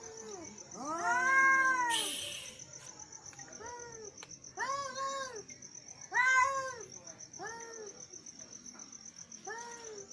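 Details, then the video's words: Angry male cats meowing: drawn-out, arched, wailing meows repeated every second or two, loudest near the start and again around six seconds. A short noisy burst and a steady high whine run through the background. "male cats angry sound"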